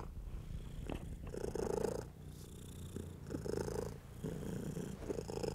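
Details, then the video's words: A house cat purrs contentedly under human stroking: a soft, low, vibrating purr rising and falling with each breath, accompanied by light rubbing sounds of a hand on fur. "Stroking & Purring"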